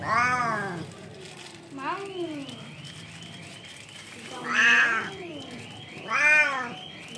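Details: Hungry kittens crying for their mother cat, adopted street cats: several loud, wavering meows rising then falling, spaced a second or two apart, with softer mews between.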